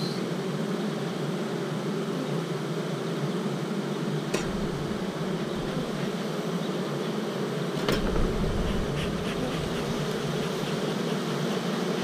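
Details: Western honey bees inside a starter colony with queen-cell cups, making a lot of noise in spring; a steady, dense low hum fills the clip, with a couple of brief clicks and knocks.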